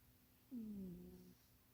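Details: Munchie the cat napping in a box too small for her, giving a single snore: a smooth, falling tonal hum lasting under a second over a quiet room hiss.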